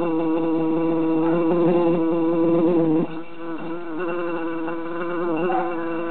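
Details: Loud buzzing from three bees trapped in a jar during summer, a continuous droning hum whose pitch dips and rises unevenly, briefly quieter at the midpoint before swelling again.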